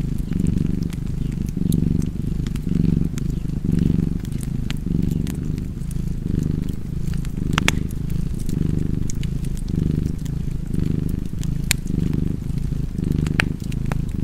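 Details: Cozy cat purr over a fireplace: a steady low rumble with soft rises and falls, overlaid by frequent snapping crackles of burning wood.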